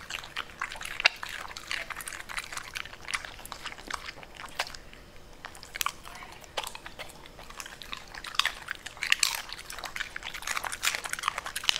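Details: A Pembroke Welsh Corgi eating purple cabbage crunches and chews noisily, with sharp, wet bites coming in quick bursts.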